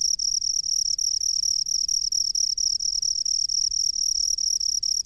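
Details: Cricket living in a rice field, giving a high, nearly unbroken ringing trill with faint regular flickers and a few brief dips, a soft low rumble underneath.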